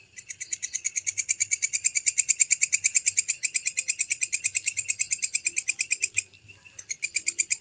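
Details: Walang kecek grasshopper with a clear, high, dry pulsed trill, about seven sharp pulses per second held steadily for six seconds, a brief pause, then resuming; quiet background.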